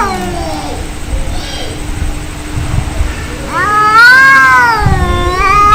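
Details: Angry cats fighting, heard as low grumbling growls and a faint wavering whine, then a loud wavering caterwaul that rises and dips over the last two seconds; a steady faint hum lies beneath.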